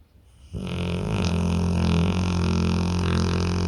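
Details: After a quiet half-second, a deeply sleeping pit bull begins a sustained, low, vibrating snore. It swells slightly and holds a buzzing, drone-like tone through to the end.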